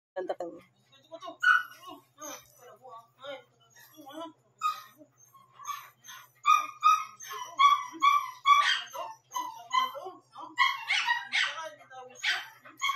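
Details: Shih Tzu puppy aged one month and seven days, barking around 12 am. High, thin yips and short barks come in irregular bursts, thickening into rapid overlapping yaps toward the end, with faint human voices beneath.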